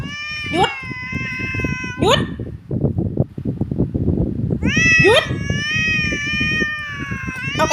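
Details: A moody, easily irritated domestic cat that likes to grumble gives long, drawn-out grumbling meows, each rising sharply then held steady, while a man talks to it and it bites playfully.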